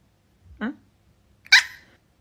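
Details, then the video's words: Angry Chihuahua giving two short, sharp, high yapping barks about a second apart in a small indoor space, the second louder and brighter than the first. "Funny and Angry Chihuahua moments"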